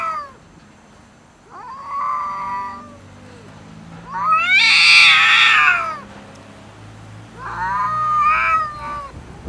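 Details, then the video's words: Domestic cats fighting over food, loud and angry: three long wavering caterwauls, the middle one harsh and shrieking, each rising and then sliding down, separated by brief quieter gaps. "Angry cats fight and argue about food LOUD"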